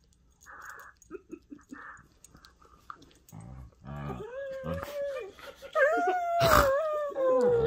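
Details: Two pet whippets at play, mouthing each other, making strange vocal sounds: soft short grunts and snorts building into a wavering, high whining moan that slides up and down, with chewing and a sharp knock.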